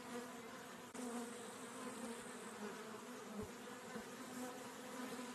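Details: Honey bees buzzing in a steady, even drone with a low hum and a faint higher hiss, continuous throughout with no other clear sounds.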